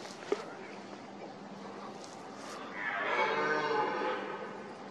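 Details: In autumn, a red deer stag gives a rutting call in the breeding season, a deep, drawn-out roar with a rough, harmonic bellowing tone.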